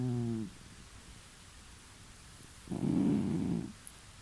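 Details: Cat snoring while asleep, heard from the next room of a recently moved-into home; a short tonal low breath at the start, a quiet pause, then a louder rough, buzzy snore near the end with background hiss.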